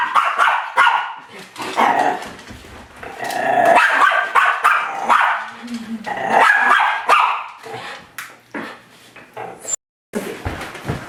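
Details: Confused Miniature Schnauzer attacking its reflection in a mirror indoors, giving quick harsh barks and yips in tumbling runs, with growly low notes and short gaps, ending in a sudden silence and a few final yaps.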